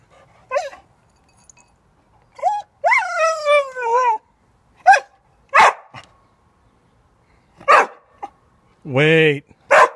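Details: Chewbacca, a pet dog, losing patience as the cat eats from his food, lets out drawn-out, wavering moaning whines and a few sharp yelps, separated by quiet gaps, with a person's voice mixed in.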